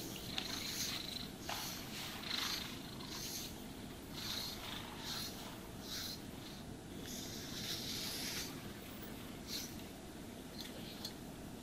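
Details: Pet cat being brushed and groomed, purring with a continuous low, even rumble throughout, while brisk brushing strokes sweep over it as airy hissing bursts at an uneven pace; a quiet indoor recording with no voices.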